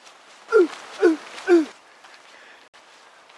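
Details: A roe deer gives three hoarse, falling barks about half a second apart in a Polish forest in December, then runs off with a second deer.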